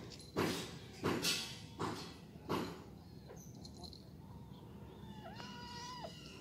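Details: Domestic cats at home: two grey cats, Gembil and Gembul, and a small orange one, roughhousing as the smaller cat is picked on. Heavy thumps and scuffles, then one drawn-out meow near the end, rising and falling.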